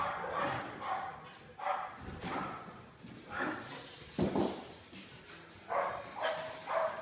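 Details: Pig and Joker, two household dogs, play tag together. Quieter, rough growl-barks repeat roughly every second over a noisy, hissy background.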